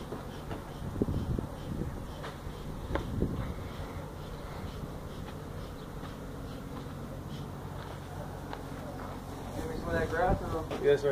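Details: Feral honey bees that built their hive inside a tractor tire in a stack at a citrus orchard in Mission, Texas, disturbed during hive removal: a steady low buzzing drone with intermittent louder swells, handling knocks and occasional human voices.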